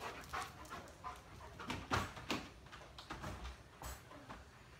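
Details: A German Shepherd that reacts to dogs and people, recorded during training in Virginia. Muffled, distant-sounding bark bursts repeat irregularly, roughly two or three per second, over a low background rumble.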